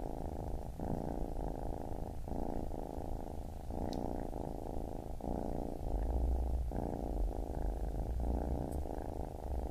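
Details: Baby kitten purring steadily: a low, rumbling, even vibration in long breathing cycles, each stretch lasting about a second before a brief break, with a quiet indoor background.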